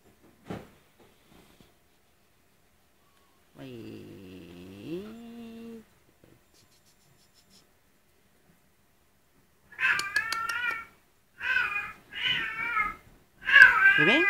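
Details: Blue British Shorthair kitten, 50 days old, recorded May 2011, giving a run of high, harmonic-rich mews in short bursts near the end, after a lower drawn-out tone and an earlier soft click.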